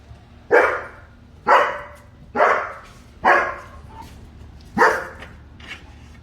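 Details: German Shepherd puppy chasing a squirrel, barking steadily: five harsh, loud barks spaced about one second apart over a faint background hum.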